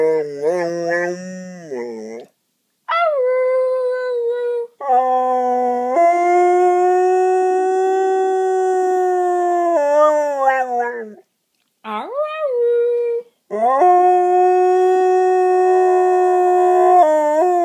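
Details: A male English Springer Spaniel makes drawn-out, wavering howls and yowls, as if "speaking" back to his owner in conversation.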